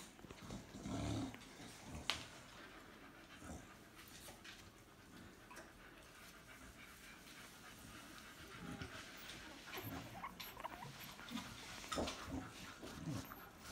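Staffordshire Bull Terrier puppies panting and snuffling, with a few soft whimpers and brief low growly sounds.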